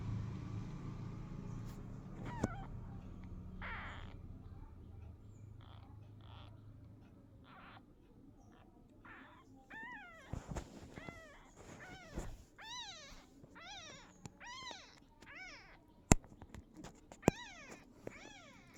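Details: A kitten trying to walk. A quiet stretch with soft low rumble and scattered clicks leads into a fast run of about ten short, arched meows from around the midpoint on. Sharp taps and thumps sound near the end.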